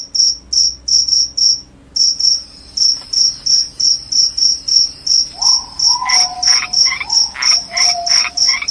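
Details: Crickets chirping, presented as a sound to drive away rats: shrill, high pulsed chirps repeated about three times a second. Lower buzzing, warbling calls from another caller join in the second half.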